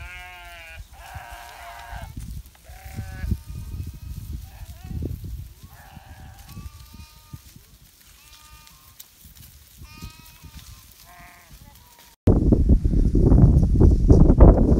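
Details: In the Himalaya in winter, a flock of sheep being called by their shepherd bleats repeatedly with quavering, nasal cries that overlap one another.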